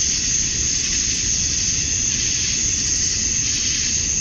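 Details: Summer dusk in Georgia, USA, with male cicadas calling to attract females, a dense unbroken high buzz that rises and falls only slightly, plus a soft low hiss underneath.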